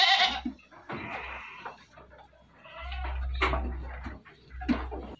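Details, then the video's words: Dairy goats at a farm in Bogor, Indonesia, giving several short, wavering bleats spaced across a few seconds, with rustling and low background rumble between calls. "KAMBING PERAH"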